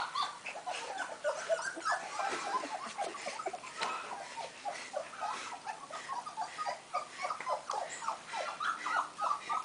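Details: Kennel litter of five-week-old golden retriever pups: a dense chorus of short, high squeaks and whines, many overlapping, steady throughout with soft rustling underneath.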